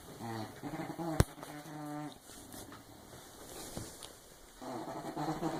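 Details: English bulldog snoring indoors: low, buzzy, throaty snores with rough harmonics, one near the start, another around 1.5–2 s and a longer one near the end, separated by quieter breathing; a sharp click around 1.2 s.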